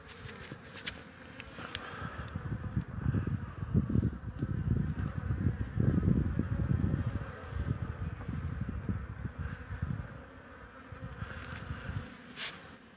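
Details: Honey bees flying in early March, recorded on 8 March 2015 at an apiary, the colony returning with pollen; a low, rough buzzing swells and fades over the hive with brief clicks and handling noise.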